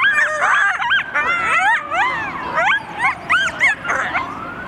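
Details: Coyotes answering sirens together with a chorus of wavering, looping howls and quick yips, several voices overlapping, a steady siren-like tone running underneath throughout.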